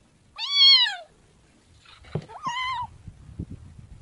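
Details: A kitten gives two high meows: a loud arched one, then after a pause a second, flatter meow, with faint low rustling and soft knocks between and after.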